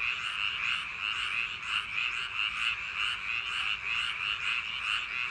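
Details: Frogs calling on a summer night along paddy-field banks: a dense chorus of rapid, rattling croaks around the middle pitch range, pulsing roughly ninety times a minute with steady overlapping voices and no other clear sounds.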